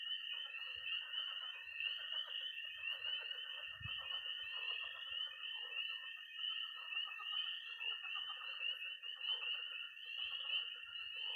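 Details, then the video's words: Missouri pond at night in early spring, tree frogs, toads and frogs calling together: a sustained high trill runs unbroken for eleven seconds above layered croaking and peeping, with one low bump near four seconds. "20 minutes of toads and frogs, sound only!"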